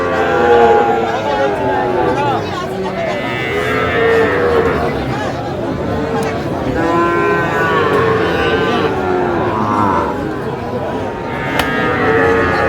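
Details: Lowing of Sahiwal bull calves at a busy cattle market on 8/5/25: repeated moaning moos every couple of seconds, some rising and falling, set against a steady background of crowd voices.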